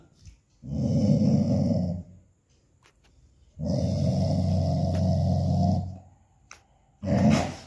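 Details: Dog rumbling in deep, harsh growls: two long ones of roughly one and a half and two seconds, then a shorter third starting near the end, with brief quiet gaps.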